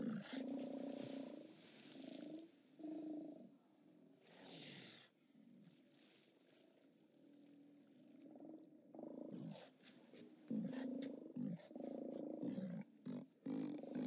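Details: Steller sea lions at the OrcaLab haulout, recorded by live cam on 29 October 2017: several deep, hoarse roars in short bursts, a loud broadband blast near the middle, then a cluster of overlapping roars and clatter toward the end.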